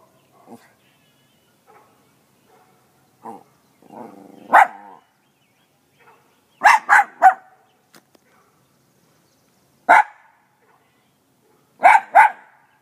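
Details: Small pet dog with a big voice barking: scattered sharp, short barks, some in quick doubled and tripled bursts, separated by pauses, with faint softer sounds between.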